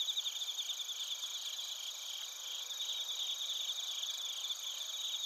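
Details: Crickets including bell crickets in Narita, Chiba, Japan, recorded with a TASCAM Portacapture X8: several insects trilling together in a dense, high, shimmering chorus with rapid rhythmic pulses and no other sounds.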